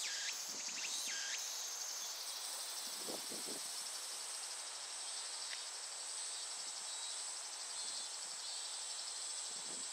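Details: Steady piercing metallic buzz of Japanese cicadas runs the whole time, with a few swooping notes in the first seconds. Scattered low rustles and knocks appear, then the drone continues alone.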